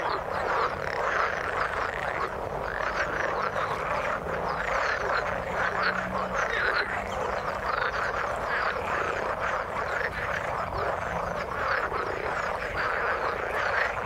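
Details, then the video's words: A long, even chorus of frogs in the water, countless short croaks and rattles overlapping into a steady churning texture with no pauses and no other sounds. "Frog sound in the water"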